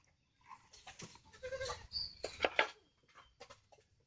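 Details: A goat gives harsh, wavering bleats over about two seconds, rising into a louder burst near the end, with clattering and rustling handling noises around the calls.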